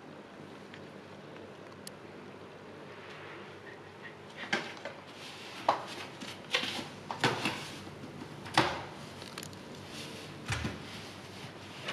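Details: A quiet indoor room with scattered knocks, bumps and clattering bursts, with no cries or other animal voice.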